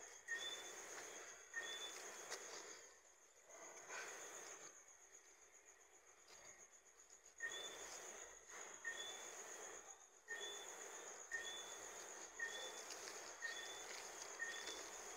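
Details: Johnstone's whistling frog giving short two-note whistles, a lower note then a higher one, repeated roughly every second over a steady high insect drone and bursts of broad rushing noise.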